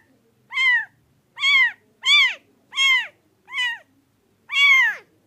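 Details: A pet cat utters six clear arched meows in quick succession, each rising and falling, with short gaps and near-silent surroundings.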